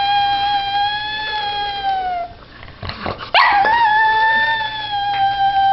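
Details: Small pug dog howling at a squeaky toy indoors; a long steady harmonic howl sagging at its end, a short gap with breathy noise and a sharp squeak, then a renewed level howl held out.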